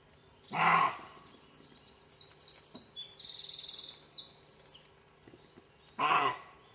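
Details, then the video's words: Two hoarse, gruff barks from a roe deer in a garden, about five seconds apart, with bird song between. "Aboiements de chevreuils"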